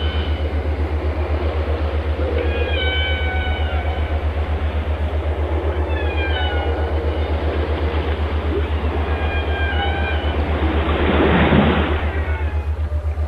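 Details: Whale song: drawn-out harmonic moans that bend up and down in short phrases, separated by pauses, with a burst of broadband noise near the end. A steady rapid low throbbing, like an engine, runs underneath throughout.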